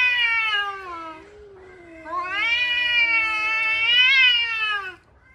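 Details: Two angry male cats arguing, trading long moaning yowls that slide downward, then swell into a higher, sustained wavering wail rising near the end before breaking off.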